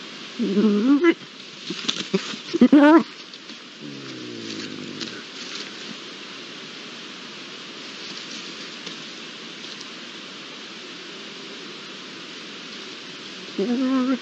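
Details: A pair of Iberian lynx heard near a camera, with loud wavering mewing calls in short bursts at the start and end, a lower rough call in between, and faint background noise.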